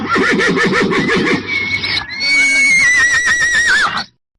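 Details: Horse neighing: a shaking, wavering whinny in the lower voice gives way at mid-clip to a long, high, thin squeal that slowly falls and trembles before cutting off into silence.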